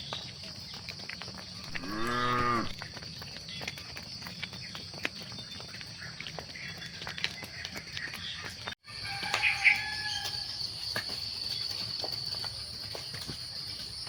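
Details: Cattle during evening herding at sunset: one short, harmonic moo early on, over a steady high insect drone. A brief gap follows, then a few bird chirps.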